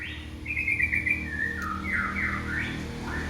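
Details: Kitten calling for its mother: one long, high-pitched, wavering cry that holds for about three seconds, wobbling and dipping lower near the end, over a steady low background hum.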